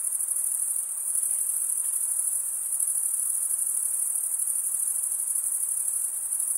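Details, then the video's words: Continuous shrill cricket chorus, a dense and even high trill sustained without pause, backed by a quiet hiss; no other sounds. "Most relaxing cricket sound for 8 hours"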